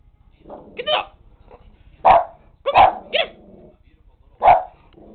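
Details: Nine-year-old Lakeland Terrier giving a run of sharp barks, some single and one quick double, irregularly spaced over five seconds, with softer yips and huffs between them.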